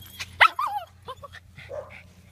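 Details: Female dog with separation anxiety whimpering while looking back for her owner; a few short high whines sweeping up then down, with a soft human voice speaking nearby.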